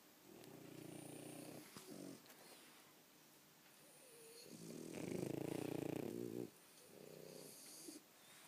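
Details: French Bulldogs snoring loudly while asleep, with long rasping snores drawn out over a second or more, the loudest near the middle, separated by quieter breathing.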